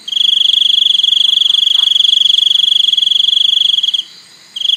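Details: A shrill, fast-pulsed cricket trill runs unbroken for about four seconds on a steady high note, pauses for half a second, then starts again.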